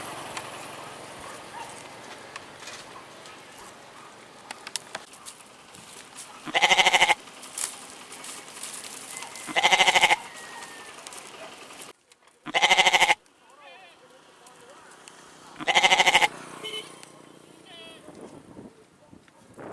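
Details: Goat bleating four times at intervals of about three seconds, each call a loud, wavering, harmonic-rich bleat lasting under a second, with quieter background noise between calls.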